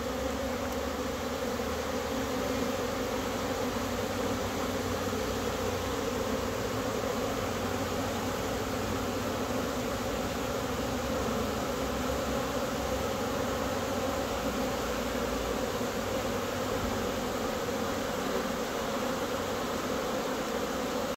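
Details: Many honey bees flying in April, frenzied after a cold spell; a dense, steady droning buzz of many wings sustained unbroken throughout, layered low hum with no pauses and no other clear sounds.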